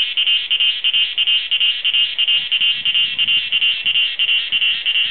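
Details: A cicada (Meimuna opalifera or Pompania sp.) in front of a house at Doi Inthanon gives a loud, shrill buzzing song that pulses about three times a second.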